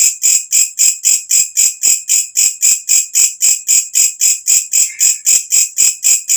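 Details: Night-singing walang kecek katydid, kept as tutor sound for birds: strident high chirps at a steady four per second, each swelling then cutting off, with a faint brief lower tone slipping in near the end.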